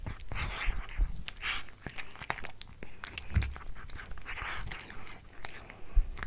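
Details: Domestic cat chewing a tuna mini stick indoors, heard up close: scattered moist clicks and soft crunches with low thumps, slower and more uneven than steady munching.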